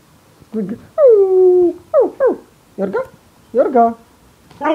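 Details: Yorga, a pet Siberian Husky, welcoming its owner in bed at morning with a run of whines and short yips: one long descending whine, then quick paired upswept notes, with a person laughing nearby.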